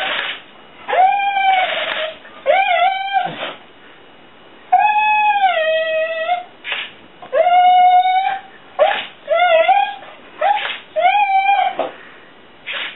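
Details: Female Soft Coated Wheaten Terrier Fur-Ball chasing a flying hornet toy she takes for a dragonfly. She gives repeated high, bending whines and short howls in a small room, about one every second or two, between short bursts of noise.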